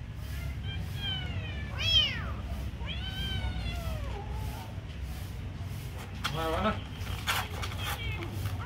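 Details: Kitten being given food, meowing in several arched, harmonic-rich calls that rise then fall, with a broken chirpy burst near the end; steady low rumble and some voices in the background.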